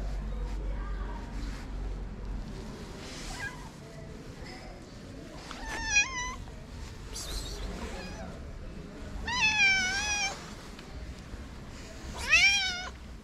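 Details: On a Moroccan street, a stray calico with a black-spotted nose lets out a few faint early mews, then louder wavering meows around six, nine and twelve seconds, the later ones long and quavering, over constant low hum.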